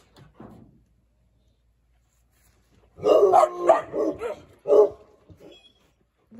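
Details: Eeyore, a massive 85-pound six-month-old Treeing Walker Coonhound puppy who loves to talk, bark-howls indoors in his new house: after silence, a burst of loud, harmonic, drawn-out barks over about two seconds, with a final shorter one.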